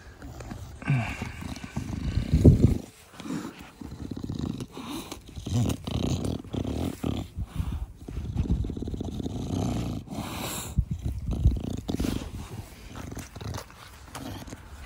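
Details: Pet Bulldog named Da Vinci in a garden, playing affectionately, heavy snorting "fugo fugo" breathing typical of a short-nosed breed: low rasping snuffles in bursts, loudest near the start, with rustling handling noises.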